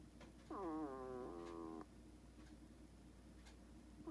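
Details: Hedgehog kept as a pet, asleep and snoring: one drawn-out, squeaky, nasal whistle that bends down, then holds steady for over a second. A second snore starts at the very end over a low steady hum.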